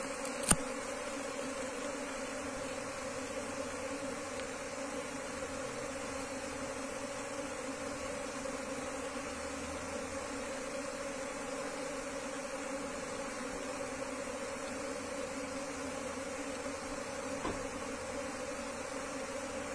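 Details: Wild Asian honey bee colony during transfer into a hive box: a continuous, even buzzing drone with a low steady tone underneath, interrupted only by two sharp knocks.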